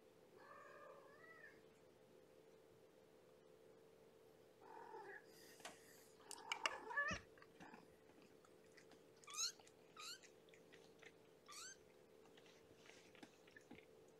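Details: Kittens from Mama Gamora's five-kitten Infinity litter, born April 14, at indoor kennel bedtime feeding with a starving little girl greeting her keeper; a low harmonic meow, then thin high rising and falling mews, a clatter midway, steady electrical hum.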